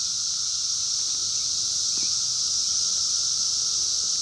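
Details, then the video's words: Brood X 17-year periodical cicadas calling in the wild during the 2021 emergence, recorded by phone: a continuous high whining drone with a steady lower hum and one brief chirp midway. "sounds of 17 Year Brood X Cicadas 2021 in the wild"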